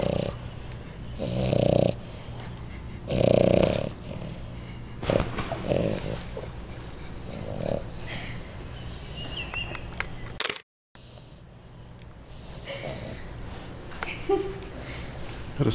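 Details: A new English Bulldog sleeping on top of a large 150 lb Rottweiler, snoring away indoors; rough, noisy breaths come in bursts roughly every two seconds, with low hum underneath and a brief gap of silence near the end.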